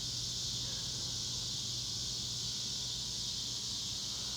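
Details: Cicadas calling loudly in the North West Arkansas Ozarks: a dense, unbroken high-pitched hissing buzz holding steady throughout, with a faint low hum underneath.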